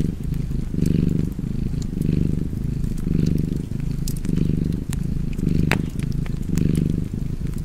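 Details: Cozy fireside cat purr, a soft low vibration that strengthens on alternating breaths roughly each second, with intermittent sharp snaps and crackles from burning logs.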